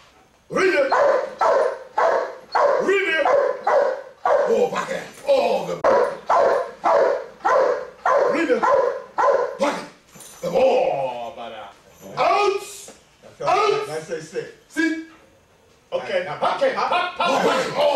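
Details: Giant Schnauzer working as a police dog, barking steadily in strong, evenly spaced bursts for most of the stretch, with short pauses and a handler's voice calling and praising.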